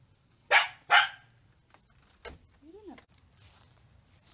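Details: Scottish Terrier on a paddle-boarding outing, unsure about going: two sharp, loud barks half a second apart, then a short faint yip and a soft rising-falling whine, otherwise quiet.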